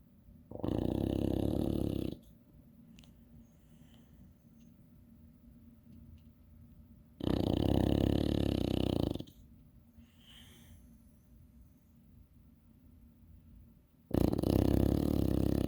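An English Bulldog snores in loud, rasping bursts lasting about two seconds each, with quiet breathing between.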